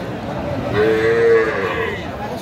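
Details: A Sahiwal bull calf moos at a livestock market in Faridpur, Bangladesh, on 11 March 2025. It gives a single steady, nasal moo about one second long over a background of crowd murmur and traders' voices.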